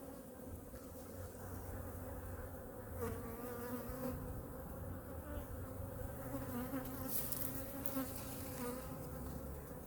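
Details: Winter hive inspection of honey bee hive #2 as the queen is spotted on the frame. A dense, even droning hum with strong layered overtones holds throughout, with faint rustling of frames.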